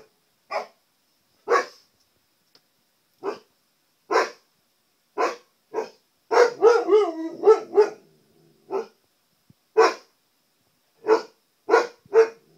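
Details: Pet Siberian Husky confronting his own image in a TV set: steady short barks about once a second, interrupted midway by a wavering, yodelling howl of several pitch swoops before the barking resumes.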